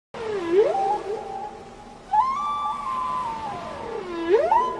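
Gray whale calls: smooth, moaning tones that slide upward, hold steady, then fall away.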